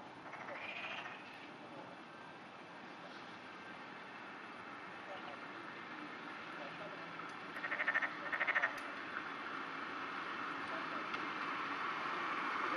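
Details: Floating black-spotted pond frog calling at dawn in rain, June 2009: brief pulsed croaks, one early and a rapid double burst later, heard against continuous rainfall noise.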